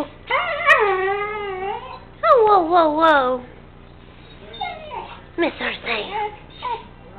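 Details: Puppy Sam, about three months old, half-whining, half-howling: two long wavering harmonic wails that bend downward, followed by softer broken whimpers and short yelps, with faint speech-like sounds in the background.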